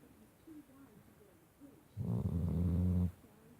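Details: Shar Pei pup asleep on the bottom of a bed, giving one loud, low, rumbling snore lasting about a second, with quiet room noise before and after.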